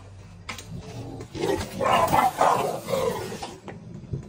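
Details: Female Cane Corso wanting to attack, giving a loud, rough, rumbling growl that swells from about one and a half seconds and pulses for roughly two seconds before fading, with quieter breathy noise around it.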